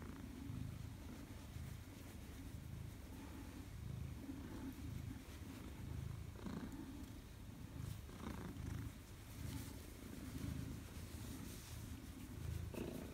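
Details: Maine Coon greeting its returning owner, 4 December 2019: long, even, low purr swelling and fading with each inhale and exhale, about every 1.5 seconds, with occasional light handling noises.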